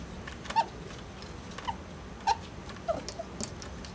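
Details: Pet ferrets at play, blaze female Gidget and albino male Jinx: brief clear squeaky notes repeated irregularly about every half second to second, with soft scuffling clicks between them indoors.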